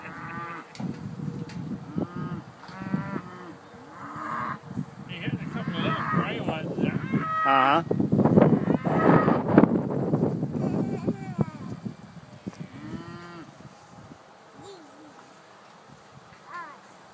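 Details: Scottish Highland cattle at a farm, eating grass and hungry, give deep drawn-out moos that swell loudest through the middle seconds, overlapping one another, while people talk nearby.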